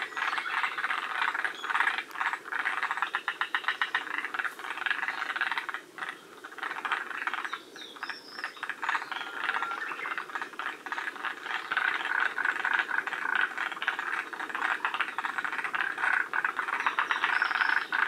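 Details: Forest green tree frogs at Shiriya, Aomori, one of the northernmost populations, absent from Hokkaido: a dense chorus of rapid rattling, pulsed croaks overlapping continuously, with a brief quieter stretch around six to seven seconds.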